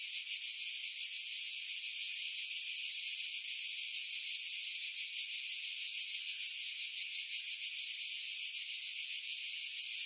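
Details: Cicadas singing in pine trees about 50 m above the sea at Pefkos Bay, Skiros Island, Greece, in July 2018; a continuous high, hissing buzz with a fast pulsing throb about three times a second, filtered to remove strong wind buffeting.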